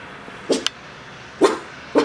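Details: Four-month-old Miniature Pinscher puppy barking while looking through a window: three short, sharp yaps spaced about half a second apart, with a small click between the first two, in a quiet indoor room.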